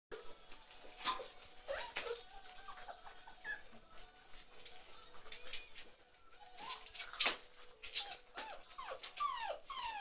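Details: Several 47-day-old chocolate Labrador Retriever puppies from Ruby's litter whimper and squeal indoors, thin high cries sliding downward, scattered among sharp clicks and rustling, with a quiet steady hum underneath.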